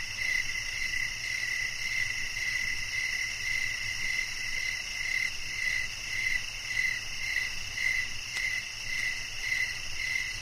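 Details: Crickets chirping for a one-hour nature recording meant to relax and lull listeners to sleep; a steady shrill pulse repeats about twice a second, layered over higher continuous insect trilling, with no other sounds.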